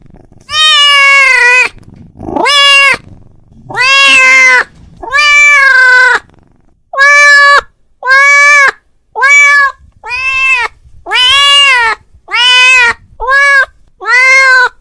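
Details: Domestic cat calling to a companion cat, giving a series of loud, drawn-out harmonic meows, each about a second long, with rising then falling pitch, repeated with short pauses between them in a quiet room.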